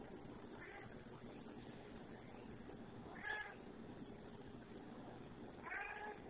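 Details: Bobo, a pet cat described as wacky, gives a few short meows, one near the start, a clearer one past three seconds and another toward the end, over a steady low background hum.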